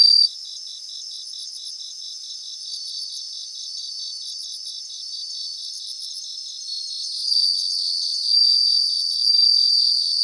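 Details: A chorus of bell crickets from Japanese grassland: brisk, regular high-pitched pulses with short trilled flourishes, joined near the end by a louder sustained ringing tone.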